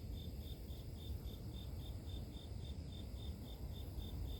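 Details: High, evenly spaced chirps from grass insects, about three and a half per second, steady and unbroken above loud low-pitched background rumble.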